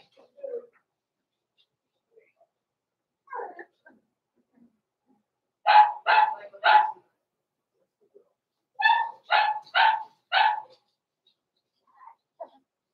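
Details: Blenheim Cavalier King Charles Spaniel puppies, Roman and Blue, from Pom-Pom's small litter born November 14, 2022, in an indoor puppy pen. A burst of three high, ringing yappy barks, a pause, then four more. A few faint squeaks come between.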